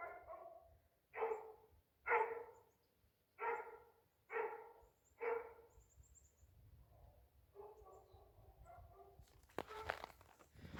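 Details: Great Pyrenees livestock guardian dogs on a farm, on a bright day, give deep, loud barks about once a second, warning off a couple of coyotes.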